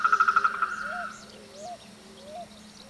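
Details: Frogs in courtship-season chorus: a rapid pulsed trill fades out within the first second, followed by short upslurred whistle-like notes repeated at intervals over a low hum.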